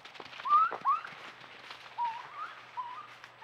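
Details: Two raccoons passing a trail camera give thin, wavering whines, short tonal notes that rise and dip in quick succession.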